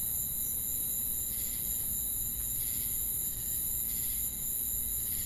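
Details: Crickets chirping amid cicadas: a steady, very high shrill insect drone with a fainter sustained tone beneath, overlaid by soft pulsed buzzy bursts about every second, over a low rumbling background.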